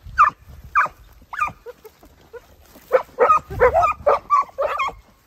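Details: Italian hound pups aged 8 and 17 months together with their sire Geko, giving spaced high yelps, then a rapid, overlapping burst of baying barks, roughly three per second.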